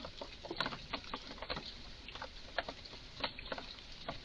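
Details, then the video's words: An excited red squirrel in a garden utters short, squeaky-edged chucks mixed with sharp clicks, in quick uneven bursts a few times per second. "Eichhörnchen macht seltsame Laute"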